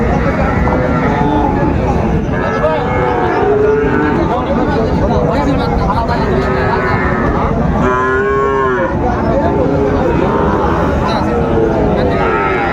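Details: Sahiwal bull calves at Raniganj cattle market, Dinajpur, on 16 September 2024, lowing repeatedly. Long, harmonic moos swell and fade, the strongest near the middle, over a constant murmur of crowd noise.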